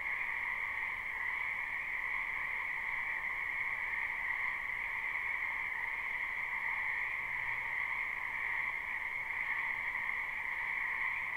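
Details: Frogs of a spring wetland heard from afar in a live recording: a constant shrill trilling band with a softer lower hum, almost no change in volume throughout, over a steady hiss.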